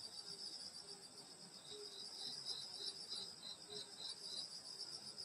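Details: Grass insects on a summer night in the Korean countryside near a grandmother's house: a bright high trilling chorus pulsing rapidly, over a softer low chirp that repeats about every half second.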